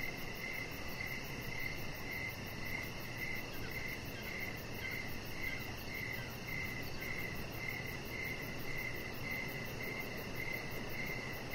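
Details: Crickets heard outdoors in the evening beside a deck strung with decoration lights. Bright, high chirps come in an even series, backed by a low, steady rumble.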